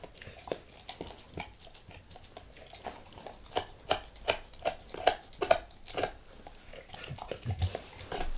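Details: Max, a pet dog, gnaws on a beef rib close up indoors with no talking, going lightly at first and then all in; irregular wet clicks and soft gnawing bites land about twice a second, some louder snaps.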